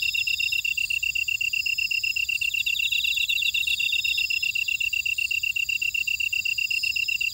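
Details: Field insects in a Jeju buckwheat field, Ora-dong, South Korea: a bright, metronomic chirping pulse repeated several times each second, with intermittent higher rasping trills joining in from other insects around.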